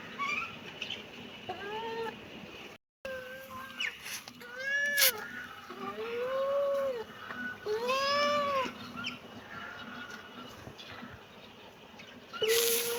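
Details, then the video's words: Kitten meowing repeatedly, with about six short arched calls that rise and fall. The meows are spaced irregularly over several seconds against a faint background hiss. "kitten meowing"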